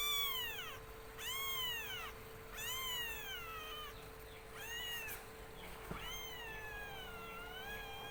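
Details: Pet black kitten calls with a string of arched, plaintive meows, the last ones longer and more drawn out, with a faint steady hum and a brief click behind.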